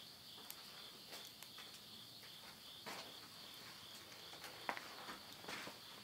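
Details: Insects calling at midnight at the end of summer, September 2020, in the countryside of Yurihama, Tottori, Japan: a steady, high, continuous shrill drone on two close pitches, broken by sharp crackles and pops from wood burning in a stove.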